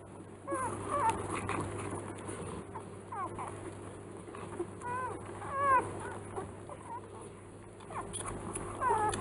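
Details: Three-day-old Rottweiler puppies in a kennel litter give thin, high squeaks and whimpers that rise and fall, overlapping busily.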